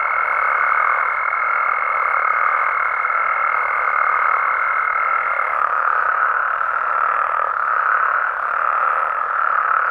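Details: Night chorus of Mexican frogs and toads, dense and droning, with a held high note that stops near five and a half seconds and faint falling chirps repeating roughly every second.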